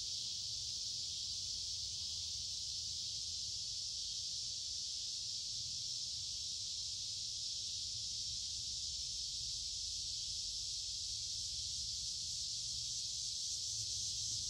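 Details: On a warm, humid midsummer day, a loud chorus of cicadas fills woods beside a creek with a constant shrill drone that holds even in strength throughout, with a soft low background rumble and no other clear callers.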